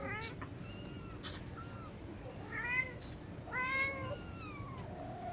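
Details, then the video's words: Hungry cats or kittens meowing for food indoors: several short harmonic meows, rising then falling, spaced irregularly about a second apart, with faint background noise. "Hungry cats meowing"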